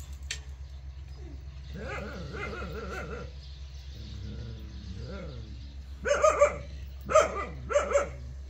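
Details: Jindo dog giving soft, low whining sounds before three sharp, ringing barks about a second apart near the end, over a constant low mechanical hum.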